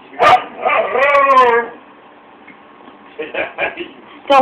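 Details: Siberian Husky singing along with its owner gives a wavering, harmonic howl of about one second that rises and then falls, with the owner's voice speaking and coaxing before and after.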